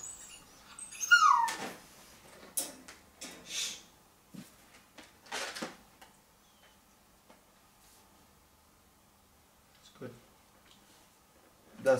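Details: A female Cane Corso puppy, shut in her new crate on her first night, gives thin, high falling whines with scratching and bumping between them, crying to get out and for her owner; a person speaks briefly.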